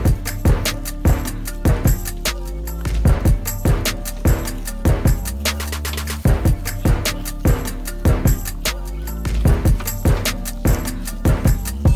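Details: Loud drum-driven electronic music with a steady beat plays throughout, and no animal sounds come through.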